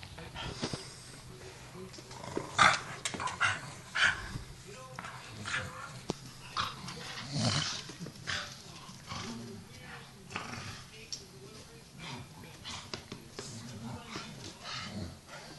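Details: Staffordshire Bull Terriers, two adults with two tiny pups, wrestling in play; irregular growls, snorts and a few sharp yelps about once a second, with scuffling and some human speech mixed in.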